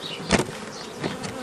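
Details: Honey bee buzz during old-style nucleus colony formation from a forager swarm, 15 May 2018. A continuous drone is broken by a sharp knock or handling clatter early on and softer bumps later.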